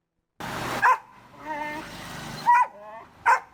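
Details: Dog locked in a room, barking: three short sharp barks spaced roughly a second apart, with a lower whining, harmonic-rich sound between them and a quiet room background.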